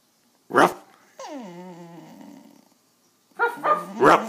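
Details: Penny, a pet dog, whines while being coaxed to bark: one drawn-out, nasal whine that starts higher and slides down before levelling off, set between short, sharp voice-like bursts.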